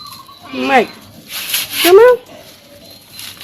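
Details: Pet cats at play with a woman, two short meows about a second apart, each dropping then rising in pitch, with little else but quiet room noise between them.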